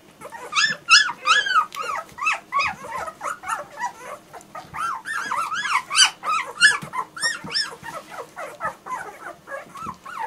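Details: German Shorthaired Pointer puppies in a litter whimpering and yipping together, many overlapping high arched squeals rising and falling in quick succession, dense chorus of small voices with bursts of sharper yelps.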